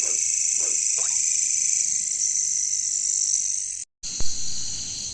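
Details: Katydids (bush crickets) in jungle ambience give a steady, high-pitched, shimmering buzz that barely varies in pitch.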